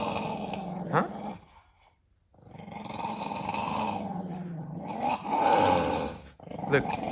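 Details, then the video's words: Pet dog that dislikes being recorded, growling indoors: rumbling, whine-tinged growls broken by a short pause, rising to a louder grumble near the end, with a person speaking to it. "My dog hates when I record him"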